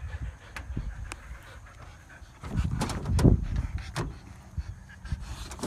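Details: Siberian Huskies out running for exercise on a field, breathing in quick rough pants with a louder burst of huffing near the middle, over low rumbling wind-like noise outdoors.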